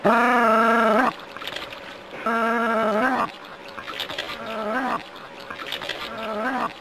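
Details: Jack Russell Terrier at play with water from a hose, one loud sustained whine followed by several fainter, shorter drawn-out whines, with hissing and splashing water between the calls.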